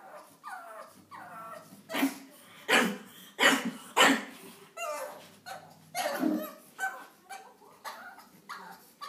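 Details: Ollie the pug barks and whimpers at his arch nemesis Daisy the cat, who won't let him pass up the stairs; rapid harsh barks near every second mixed with high whining yips.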